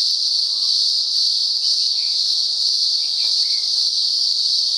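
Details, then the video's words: Daytime cicada chorus from the upper Blue Mountains, Australia, singing on and off for about a week: a continuous piercing hiss-like drone at constant pitch and loudness, with a few soft bird notes beneath. "Cicada Symphony"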